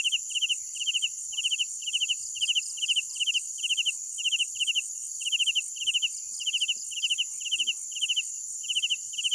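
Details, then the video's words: Crickets chirp at night in quick, regular pulsed bursts over a steady high insect drone. "Sounds of Night Crickets"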